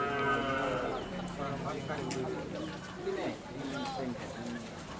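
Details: A large karapan sapi racing animal from Madura, Indonesia, agitated during training at Asemanis, Pamekasan, lets out a low, strained moo at the start, followed by men talking and shuffling noise.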